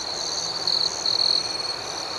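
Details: Night crickets outdoors: a continuous high ringing trill with two louder, sharper bursts of chirping near the middle, and a faint pulsing chorus higher up over a quiet hiss.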